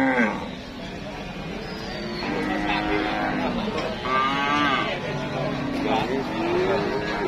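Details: Cattle in a crowded market with heavy demand and traders queuing to buy them; several overlapping drawn-out moos, one rising and falling near the middle, over dense crowd chatter and background noise.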